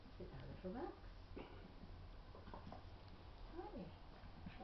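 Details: Schnauzer puppies play fighting: faint, short whiny squeals and growly yelps that bend up and down in pitch, a cluster near the start and another toward the end, over a steady low rumble.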